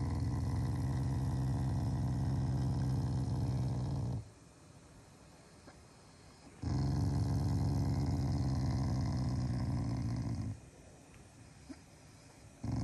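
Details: Shiba Inu at home during its morning routine, growling as an affectionate display rather than in anger: two long, low, rumbling growls of about four seconds each, separated by a quiet pause, ending with the start of a third growl.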